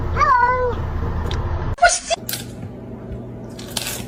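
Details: Domestic cat in a funny home compilation giving one short meow that slides downward, followed by a sharp clatter, bursts of noise and background hum.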